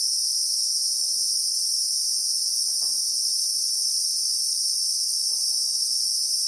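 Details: Bushveld in South Africa with acacia trees, Christmas beetle (Anoplognathus) calling in real time: an intense, constant high whine that holds one level throughout, over occasional faint soft clicks.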